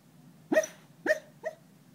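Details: A dog barking in its sleep while dreaming: three short, muffled, yelping woofs in quick succession over about one second, each with a sharp onset and bright overtones, against a low steady indoor hum.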